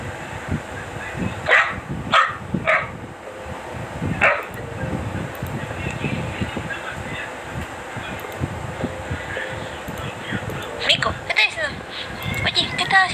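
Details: Dachshund barking: three sharp, short barks in quick succession near the start, a single bark shortly after, then another quick cluster of barks toward the end, over steady low background noise and faint voices.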